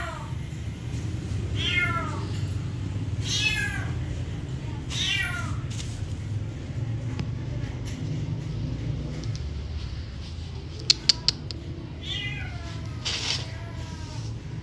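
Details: Cat meowing several times, short descending meows early on and again near the end, partly masked by steady low rumbling noise and a few sharp clicks.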